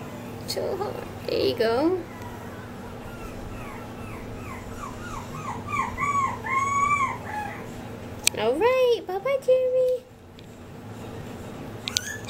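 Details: Male Maltipoo puppy whimpering and squealing: a run of short high rising-falling whines, then a louder yelping squeal near the end, with faint music and talk in the background.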